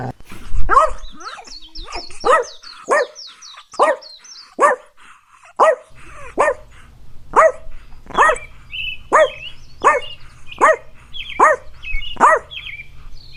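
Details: Puppy playing on a green field barks in a steady string of short, sharp yaps, roughly one every second, over a low constant hum. Birds twitter faintly in the background.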